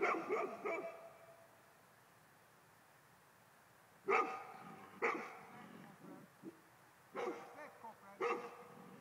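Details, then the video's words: Male Golden Retriever barks at ghosts: a burst of quick barks, a pause of several seconds, then single sharp woofs about once a second with faint soft grunts in between. "Mh Golden Retriver hane Spöken"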